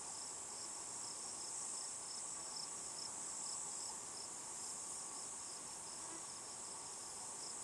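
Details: Evening buzzing of a cicada, possibly Tibicen inauditus, perched on a juniper tree in Picket Wire Canyon, SE Colorado, near 8 PM. A constant piercing whine sits over a rapidly pulsing shrill layer, steady in loudness throughout.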